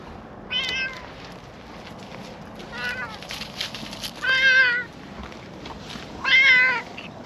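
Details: Brown-and-white cat, seemingly a park cat, outdoors after coming down a slope; four clear, harmonic-rich meows at about two-second intervals, the last two louder and longer, over faint background hiss.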